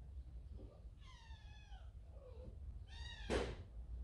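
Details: A baby cat from a large cat family, scolded by its older brother and going to its mother. It gives a drawn-out mewing cry, a short soft mew, then another meow cut off by a sharp thump.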